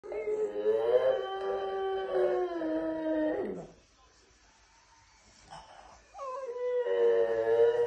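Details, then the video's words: French Bulldog that sings instead of barking: drawn-out, tonal, howl-like notes with rich stacked harmonics that waver and slide, a long phrase ending in a falling glide, a quiet pause, then another sustained wavering phrase. "French bulldog doesn’t bark he sings"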